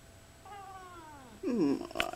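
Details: Lynx Point Siamese cat chattering at fall leaves: a long, slowly falling, harmonic call, followed by a louder, rough, wavering burst and a brief click near the end.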